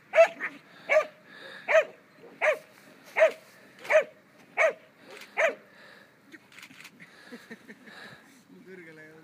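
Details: Two-year-old German Pinscher in protection training, giving a run of sharp barks about every 0.7 seconds, eight in a row, then trailing into softer noises and a brief low whine.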